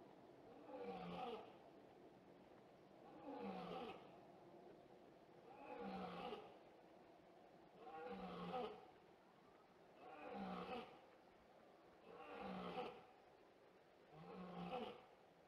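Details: A big cat roaring, recorded on 14 November 2016 while playing with feet: seven deep, moaning roars repeated roughly every two to three seconds, each swelling and fading, over a steady low background hum.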